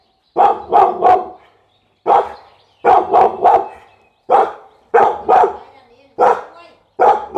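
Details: A Pit Bull dog gives rapid clusters of two or three harsh barks, each volley separated by brief pauses, steady loud delivery throughout.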